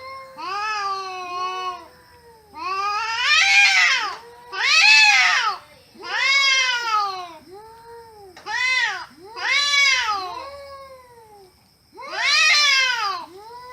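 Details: Cats talking to each other in a series of harmonic, arched meows, some short and some drawn out, with brief pauses between calls and a quiet indoor background.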